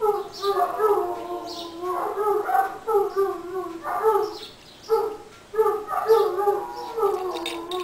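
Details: Group howl from Irish Wolfhounds, their so-called 'song' on St. Patrick's Day: repeated short swells of wavering, overlapping howls every second or so, with faint higher yips between phrases.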